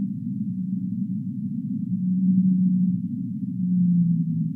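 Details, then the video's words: Humpback whale singing: long, steady low tonal moans rise out of a dense band of deep rumbling noise, with two sustained units swelling in the second half. "Humpback Whale Singing"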